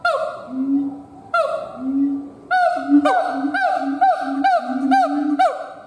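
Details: Siamang gibbon howling: deep booming hoots alternate with loud, ringing barked notes that swoop up and down, starting sparse and then quickening into a rapid, regular series of paired boom-and-bark calls.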